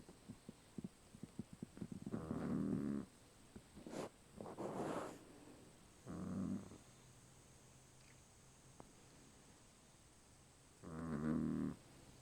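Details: Sleeping dog gives three harsh, buzzing snores spread over twelve seconds, with brief sniffs and faint clicks between them.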